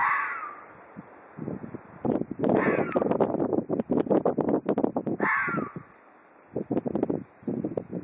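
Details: Ezo red fox threatening in Hokkaido, Japan: a raspy screech opens, then a dense burst of fast, harsh chattering pulses, a second screech, a brief pause and more chatter.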